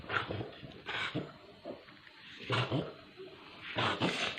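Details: Dora, a Pit Bull suffering from parvo, indoors in a small room: rough, broadband moaning whimpers in uneven bursts roughly once a second, some low and growly, with faint background voices.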